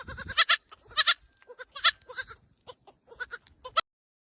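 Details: Little goats wearing pink headbands bleating in short, loud, wavering bursts, about six calls in four seconds, some in quick doubled pairs, with brief quiet gaps between them.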